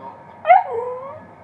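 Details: Glen of Imaal terrier, an Irish dog, yipping after being denied a Guinness: one sharp rising yelp followed by a long, falling whine that trails off over about a second.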